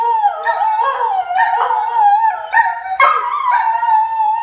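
A greyhound howls in long, wavering, tonal notes, rising and falling in pitch.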